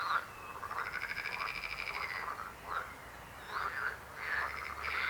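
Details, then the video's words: Frogs croaking: a long rattling, pulsed croak runs through the first two seconds, then shorter rasping croaks come at about 2.7, 3.6 and 4.3 seconds against a quiet background. "Rechot żab. Croaking frog sound."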